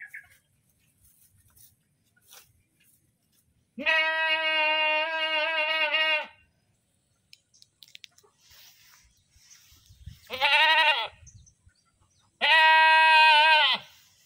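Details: Goat screaming, three loud harmonic bleats, the first long and steady, the last two strained and wavering, separated by quiet gaps with faint background rustling.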